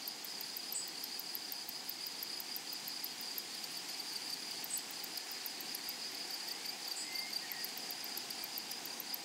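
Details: A flowery meadow hums with grasshoppers: an unwavering shrill whine under steady rapid ticking, with scattered faint bird chirps around the middle and near the end.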